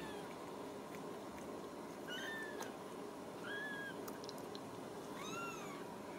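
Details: High, thin mewing from Ragdoll kittens raised in a home cattery in central Kansas: three short, rising-then-falling cries spaced a second or two apart over a steady background hiss.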